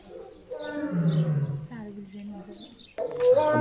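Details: Lion in a zoo gives deep, drawn-out moaning roars that slide downward, with people talking nearby.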